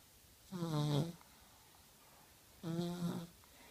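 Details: One-year-old dog Zikra asleep at night, snoring indoors: two droning, harmonic snore breaths, each about two-thirds of a second long and roughly two seconds apart, with a slight wheezy edge and near silence between them.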